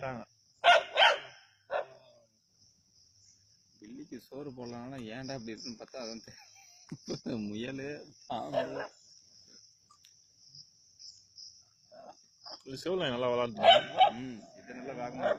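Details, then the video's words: Native country dogs at Keezhadi, hunting a snake: sharp, loud barks burst out at the start and again in a rapid cluster near the end, with men talking in Tamil through the middle and a steady high insect whine throughout. "கீழடியில் நாட்டுநாய்களின் பாம்பு வேட்டை"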